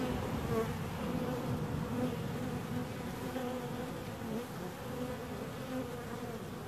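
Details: Buzzing bees, a loud steady drone of beating wings that fades a little toward the end, with occasional brief pitch wobbles as individuals pass.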